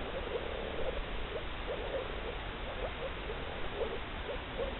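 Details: Several male moor frogs in blue breeding coloration give short, muffled, bubbling notes in loose succession, somewhat faint against constant low background noise.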